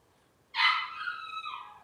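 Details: One long, high puppy whine from a Cavalier King Charles Spaniel litter starts abruptly and slowly trails down in pitch over more than a second.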